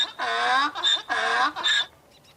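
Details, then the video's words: A donkey's bray in two alternating cycles, each a long rough harmonic note then a shorter, higher gasping one, fading to near silence at the end. "Donkey, Donkey Sounds, Donkey Sound Effect ( Donkey Sounds Effect, Donkey Call, Donkeys Voice )"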